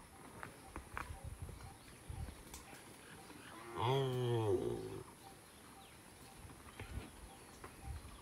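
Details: Single village cow in a peaceful rural setting gives one short harmonic moo lasting about a second, rising slightly then falling, amid low rustling and faint background noise.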